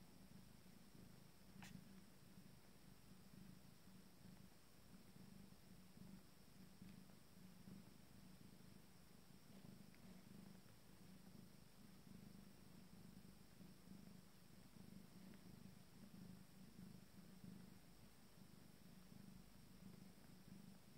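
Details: Abyssinian cat purring during the feeding of a first litter of five-day-old kittens: a steady, low, rhythmic rumble that pulses without pause.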